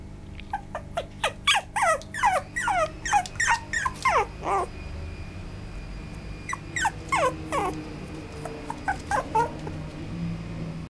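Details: Male Maltipoo pup yipping rapidly: a fast run of thin, high squeaks roughly three per second, then a pause and softer, sparser yelps trailing off, with steady low background hum.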